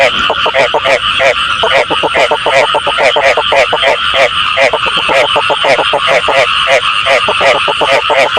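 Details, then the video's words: Frogs croaking for use in frog catching: short buzzy pulsed notes tumble over each other at a fast, even pace, forming a continuous loud chorus with brief gaps between bursts. "tiếng ếch chuẩn cho ae bắt tay"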